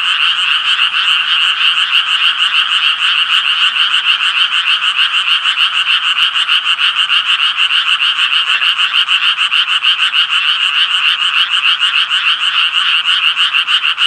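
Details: Many tree frogs croak together in a steady, grating chorus of rapid rhythmic pulses. The buzzing, evenly layered sound holds constant throughout with no other noises.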